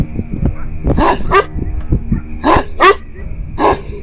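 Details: Livestock guardian dogs barking at 2 a.m. in answer to coyotes stirred up by a goat's noise; three bursts of hoarse barks, some doubled, over a constant low rumbling background.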